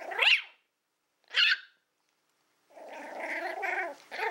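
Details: Female Toy Fox Terrier named Willow, born April 2012, during play time with a pig's ear: two sharp barks a second apart, then a sustained throaty growl.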